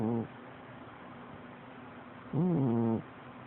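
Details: Domestic cat snoring loudly while asleep: a short low rasping breath at the start, then a louder voiced, buzzy snore lasting over half a second with a slight rise and fall, quiet room hum between.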